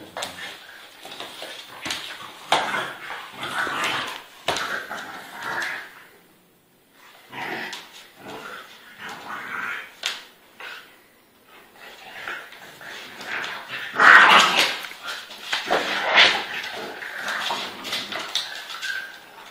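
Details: A Pitbull and a French Bulldog fight hard, giving rough, broken snarls mixed with sharp yelps and whimpers in uneven bursts. Scuffling runs between the outbursts, with brief quiet gaps.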